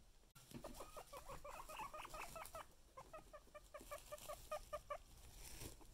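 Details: A pet guinea pig being teased with food, calling in quick series of short, high, squealing whistles, loud at first and then choppier and more spaced, with rustling and a sharp knock near the start.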